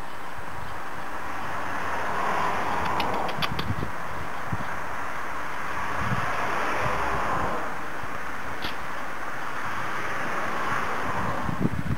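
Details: Steady outdoor wind rumble buffets the microphone, broken by a few faint clicks and knocks.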